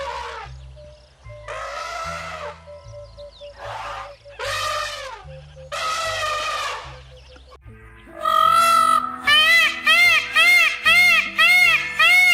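Goat bleats, wavering and nasal, in a few drawn-out cries, then a quick run of about eight short bleats, over steady background music.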